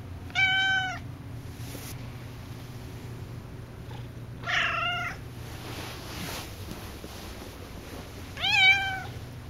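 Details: Indoors, Cassidy the talkative pet cat meows three times across about nine seconds, each call short and harmonic, the middle one lower and rougher, with a faint hum between calls.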